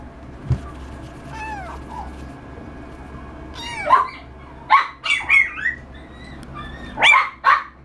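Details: Persian cat giving a few thin, high meows: a falling, wavering cry near two seconds, a rising-then-falling call near four, then a quick cluster of short mews around five seconds and two more near seven, over a steady low hum.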